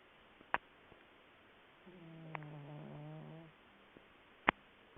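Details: Willow the cat, deep asleep, gives a single drawn-out snore of about a second and a half: a low buzzy tone with stacked harmonics. Sharp clicks come just before and after it in an otherwise quiet room.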